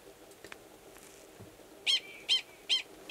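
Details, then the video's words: Male Gunnison's prairie dog in Valles Caldera National Preserve, New Mexico, March 2017, sounding a mating call before submerging to copulate with an estrous female; four strong, high-pitched chirps evenly spaced about 0.4 seconds apart after quiet rustling. "Prairie Dog Mating Call"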